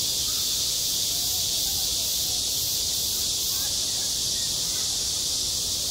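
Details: High-summer cicadas at a school sports ground, their massed shrill buzz steady and unbroken with a faint rhythmic pulsing near the top, over quiet low background noise.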